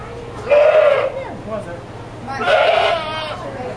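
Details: Angry goat protesting at being washed, giving two strong wavering bleats about two seconds apart, each rich in harmonics and slightly nasal, over a low background of handling noise.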